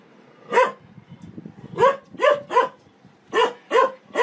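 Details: Dog in a funny compilation barking in short bright bursts, some doubled, roughly every half to one second, against a low muffled background rumble.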